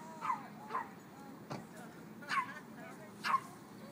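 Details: Dogs playing together at a dog park give short, yelping barks, about four sharp bursts spaced unevenly over four seconds, with a person's voice and faint background hum.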